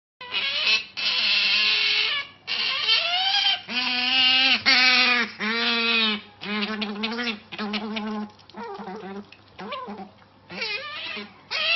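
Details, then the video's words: Otter excited over treats, letting out loud harsh screams and squeals in bursts, some with strong wavering harmonics, others breaking into shorter chirping notes, with brief pauses between calls. "Otter Totally Freaks Out Over Treats... wow! Screaming & Weird Noises"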